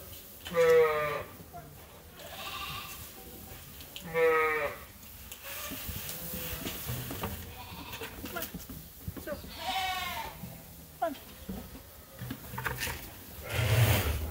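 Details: Sheep at Ewetopia Farms awaiting feed during chores, a few strongly vibrato bleats spaced several seconds apart, with background shuffling, clatter and a brief voice near the end.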